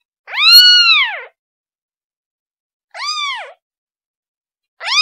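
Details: Kitten crying for its mother: a long, drawn-out arched meow, then a shorter, quieter one, and a third starting at the end, all high and harmonic with silence between.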